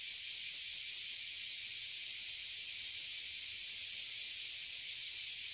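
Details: Oily and bear cicadas massed in a tree in Toyohashi City, Japan, give an intense, unbroken high-pitched buzz, a dense shimmering hiss with faint rapid throbbing throughout.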